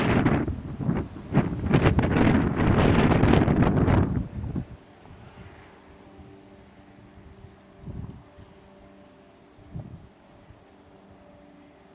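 Heavy wind buffeting the microphone for about four seconds, then a quiet low hum with two soft thuds, and no animal calls.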